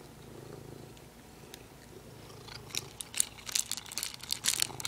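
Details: A pet cat purring indoors beside its favourite plastic, a steady low rumbling purr for the first half, then sharp crinkling and crackling of plastic taking over near the end.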